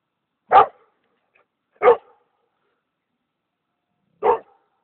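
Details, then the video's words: Kangal mix dog barking: three short, sharp, mid-pitched barks, the first two about 1.3 seconds apart, then a longer pause before the third, with complete silence between them. "kangal mischling"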